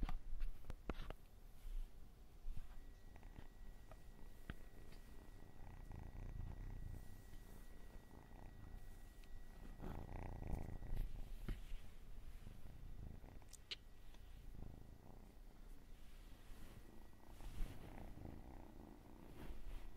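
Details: Domestic cat purring in a low, continuous rumble with soft crackles, a few faint clicks and a thin steady tone running through the background.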